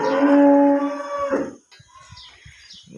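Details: Farm cow giving a loud, sustained moo of about one and a half seconds, strongly harmonic and level in pitch, then cutting off into quiet background with faint clicks and distant sounds.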